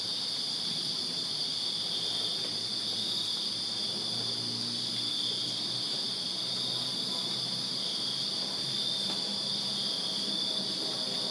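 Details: Backyard crickets on a Virginia summer night keep up a dense, continuous shrill chorus, a constant high ringing that never pauses. Faint low background noise sits beneath.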